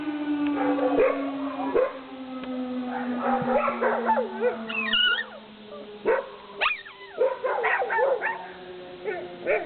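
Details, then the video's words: Several dogs howling in town in response to sirens: overlapping wavering, tonal howls with rising and falling bends, mixed with short yips, over a long steady tone slowly sliding lower across the whole stretch. "All dogs howling"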